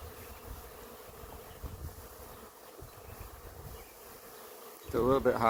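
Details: Honey bee swarm from an apiary flying and landing on a branch: a steady droning hum with a band near 500, ending in a burst of speech-like voiced tones.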